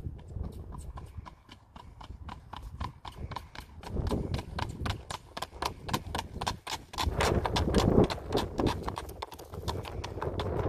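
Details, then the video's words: Ridden Standardbred gelding moving along, its hooves striking in a brisk, continuous clip-clop of sharp knocks, about three per second, over a low background rumble. "Standardbred gelding riding"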